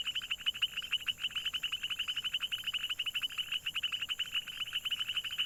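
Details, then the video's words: Rapid rattling croaks from frogs, high and pulsed, pour out in an unbroken trill that rises and falls slightly in loudness, with a soft background hiss. "Funny Frog Sounds - Croaks, Ribbits, & Hilarious Frog Noises"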